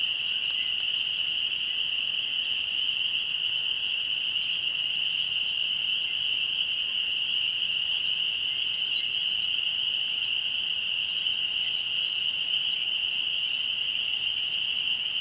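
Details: Spring peepers at sunset by a rural church, emerging as they do yearly at this season; a steady shrill wall of calling continues without pause, while a few brief bird notes flicker faintly over it.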